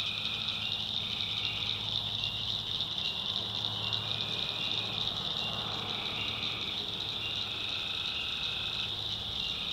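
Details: Night chorus of tree frogs in a North Carolina swamp, with repeated trilled bursts of about a second each rising and falling against a constant shrill insect buzz and a faint low hum.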